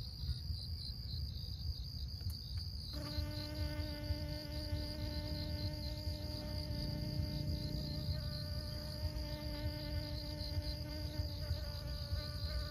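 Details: Honey bee working flowers during pollination in Siosar, Karo, North Sumatra, Indonesia; after three seconds a steady, rich buzzing drone begins and holds to the end, with wind noise below and a rapid high chirping insect chorus above.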